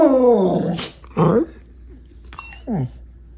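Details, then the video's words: Happy dog 'arooo' vocalising: one long falling harmonic howl sliding down over a second, followed by two short downward yips with quiet pauses between them. "Happy Dog Sounds - Arooo"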